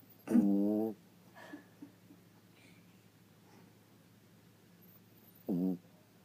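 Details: Sleeping female Chihuahua named Sweetie, weighing 4 pounds, snoring loudly: a rough, droning snore of about half a second, faint shuffles, then a second, shorter buzzy snore near the end.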